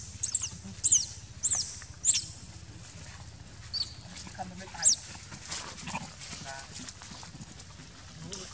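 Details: Young monkey named Rojo crying loudly in distress while clamped and hurt; a series of very high, shrill squeals repeated roughly every half second for about five seconds, then quieter whimpers, with low background rumble and a voice.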